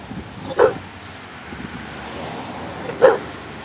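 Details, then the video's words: Two short, sharp barks about two and a half seconds apart from Bailey, a Bulldog, over a low steady hum. "Bailey Barking"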